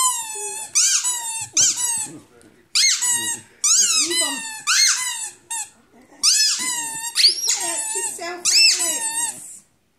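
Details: A dog howling indoors in a small room: a series of high, wavering, rising-and-falling howls with bright harmonics, broken by short pauses and repeated across the whole stretch.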